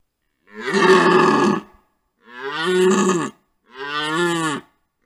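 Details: During the rut, a red deer stag at a wallow, recorded by a trail camera, gives three deep, hoarse roars, each lasting over a second.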